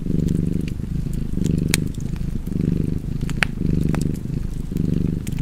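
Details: Rhythmic cat purr, a buzzing low rumble cycling in breaths about a second long, with occasional sharp pops and crackles from a fireplace.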